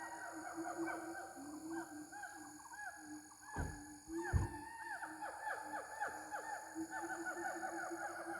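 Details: Gibbons (locally called Ungka) give mating calls, a run of rising-and-falling whooping notes with several voices overlapping over a steady insect drone.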